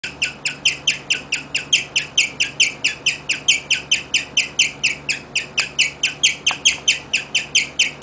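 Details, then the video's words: Pet guinea pig named Rigel serenading its owners indoors with a steady run of high, bird-like chirps, about four per second, evenly spaced and unbroken throughout, with a faint background hum. "More chirping from Rigel"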